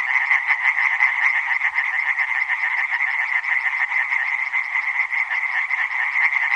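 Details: Tree frogs in full chorus, rapid raspy pulses repeated without pause and blended into a steady, slightly wavering drone, with no other sounds.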